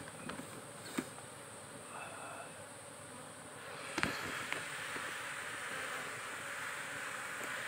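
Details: Continuous hum of cultivated honey bees around their hive boxes, a dense low drone with a few sharp taps and clicks, one loud knock at four seconds, and the buzz swelling slightly afterward.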